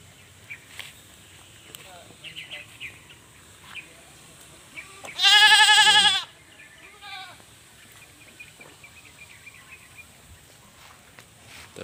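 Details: Goats, a yellow male and a black female, in a morning village scene on Simeulue island, Aceh, Indonesia, 2023; one loud wavering bleat lasting about a second, with faint speech and background music around it.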